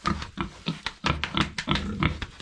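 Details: Domestic pigs in a pen, described as friendly and having made a mess, giving a run of short, low, rough grunts about every quarter second, with tapping and knocking noises between them.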